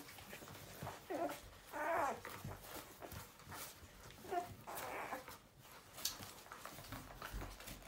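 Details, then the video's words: Newborn puppies indoors make several short, raspy squeals and grunting whimpers in bursts, amid steady rustling and background noise. "Adorable newborn puppy noises"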